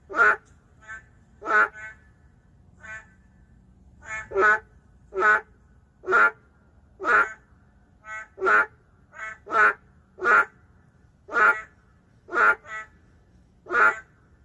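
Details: Endangered boreal digging frogs calling in the city: a steady chorus of short, harsh, nasal croaks, loud ones roughly every second with fainter answering croaks slotted between them, about fifteen strong calls in all over a quiet background.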